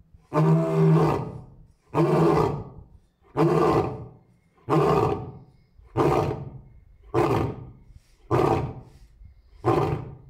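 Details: Male lion alone in the enclosure at Asahiyama Zoo, Japan, on 10 May 2024, roaring again and again while mate and cubs are absent; eight short, grunting roars in steady series, spaced roughly every 1.2 seconds, fading slightly in strength.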